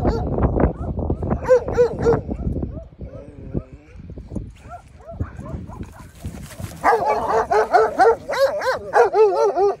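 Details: Sheep guarding dogs wanting to attack two Dogo Argentino dogs: a burst of harsh, rapid barks, a quieter stretch with whimper-like sounds and people talking, then a loud run of high, tonal barks repeated about four times a second.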